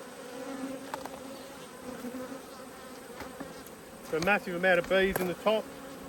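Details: Agitated honey bees disturbed during the inspection of two hives: a low, even hum carries on before several sharp, warbling buzzes of bees darting close by, four or five bursts in quick succession near the end.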